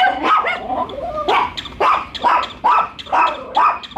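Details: Bico and Faith, two pet dogs, barking at a newly met toy dog; a whiny growl opens, followed by steady sharp barks roughly twice a second.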